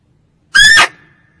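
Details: A single female barking deer call, used as a lure for hunting: one abrupt, harsh, squealing bark lasting about a third of a second, in a quiet setting.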